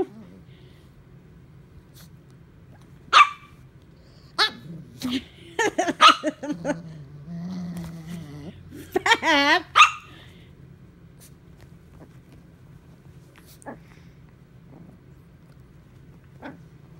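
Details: Fat, unamused by Coco the puppy, as the pair tussle: sharp single barks spaced a second or two apart, then rough growling and a run of grumbling barks, while a person's voice urges Coco on.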